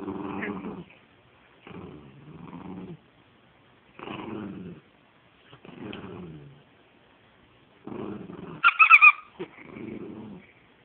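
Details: Penny the dog tugs at a stuffed toy, letting out rumbling play growls about every two seconds, each lasting near a second, with one sharp high squeal near the end.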